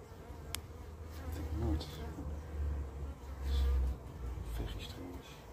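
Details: Carniolan honey bees near a queen just returned from an orientation flight; a low droning hum rises and falls in short loud pulses, with a few sharp clicks.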